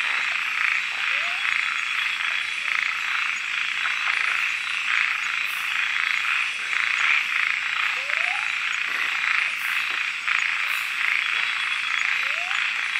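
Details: Frogs at night in Kubah National Park, recorded on a Panasonic GH4: a dense, steady chorus of high buzzing calls, with a few short rising swept notes around 1, 8 and 12 seconds.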